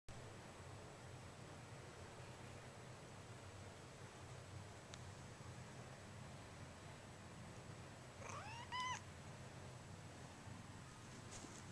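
A Scottish Fold kitten gives a single tiny, high meow that rises and then falls.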